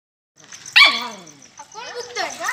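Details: Puppy giving a single sharp, high yelping bark that slides down into a short whine, followed by softer wavering whimpers; a steady high electronic whine runs in the background.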